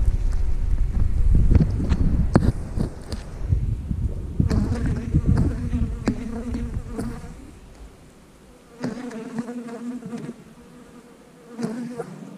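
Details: Buzzing honey bees at an opened hive as frames are examined, a droning hum in short bursts between loud bumps, rustles and clatter of handling, fading to quiet spells before returning.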